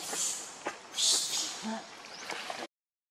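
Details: Baby monkey Leo, hungry and angry, screaming to its mother for milk; loud, shrill, strained cries pour out almost without a break for over two seconds, with one especially piercing burst in the middle.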